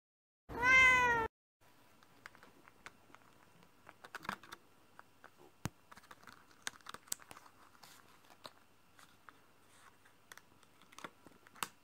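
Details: Female orange classic tabby American Shorthair cat, indoors and pawing at a hand to find what is in it, gives one loud, short, falling meow, followed by quiet rustling and soft tapping.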